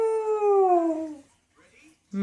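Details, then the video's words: Pet dog 'talking' back to its people, a single drawn-out howl-like vocal that starts steady and slides gradually downward over about a second and a half, rich in harmonics, followed by quiet and a brief sharp sound at the end. "Funny Dogs Talking and Arguing With Their Humans"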